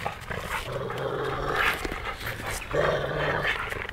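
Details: Two Labrador Retrievers, Bytas and Maksas, city dogs in Vilnius, quarrel over a stick as Bytas tries to take it from his old friend; low rumbling growls in drawn-out bouts with brief pauses, some panting and outdoor noise.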